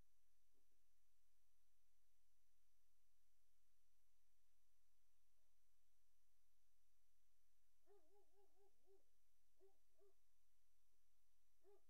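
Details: Great Dane puppies in a nursery, recorded on the afternoon of 3 April 2019: a quiet room broken late on by a short burst of soft, wavering tonal whimpers, then two brief whines after it.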